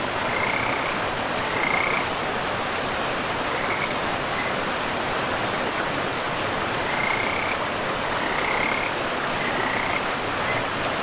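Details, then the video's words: Frog beside a flowing forest river, partly masked by loud rushing water, gives short high pulsed croaks in small groups roughly every one to two seconds. "River and Frogs sleep sounds"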